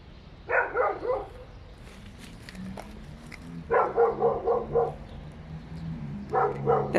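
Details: Dogs inside an apartment building barking as noise heard by neighbours: three bursts of rapid, repeated muffled barks, about four or five per burst, with quiet gaps and low background hum between them.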